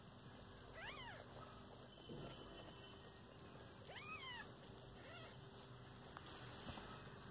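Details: Domestic cat, a caring mother with her kittens, gives rising-then-falling meows with clear overtones: one near the start, a longer pair around four seconds, and a shorter one near five seconds, over a steady electrical hum.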